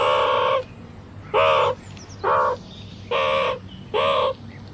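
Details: Meerkat moan, recorded with 8D audio: five loud, nasal, harmonic moans, each about half a second long, spaced roughly a second apart over a low steady background hum.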